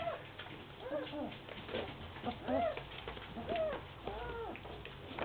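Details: German Shepherd puppies at playtime, giving short arched whines and yelps around the middle pitches, several overlapping across five seconds, with soft rustling and scuffling between calls.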